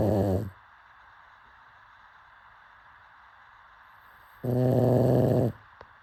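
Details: Pug sleeping: the tail of one raspy snore, then four quiet seconds, then another full, buzzing snore about a second long, followed by a small click.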